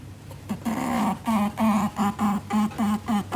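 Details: Ribbon, a female pet Netherland Dwarf rabbit born October 2018, snorting through her nose indoors amid territorial awareness: a fast run of about nine short, low, buzzy grunts, each roughly a third of a second apart, in a quiet small room.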